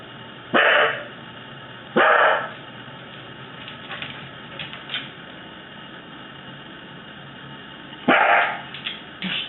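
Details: Fluffy male pet Corgi, one of many weird noises he makes: three short, sharp, loud barks spaced irregularly, two early and one near the end, with quiet room tone between and a person scolding nearby.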